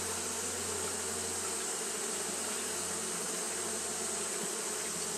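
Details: A continuous droning buzz from Japanese honey bees fanning on a hot day, with a steady low hum underneath and a bright high hiss on top.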